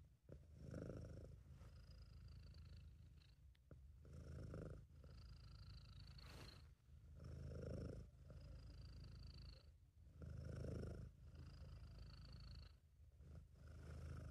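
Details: Contented British Shorthair cat purring, recorded by an amateur: a loud, deep rumble with clear swells about every three seconds as the cat breathes in and out, with faint steady high tones behind it.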